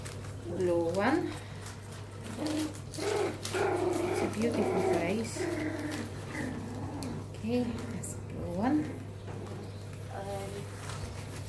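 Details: Young puppies from Ruby's growing litter give thin, rising whines in short bursts, some wavering and overlapping, scattered between quiet gaps while a woman talks softly to them close by.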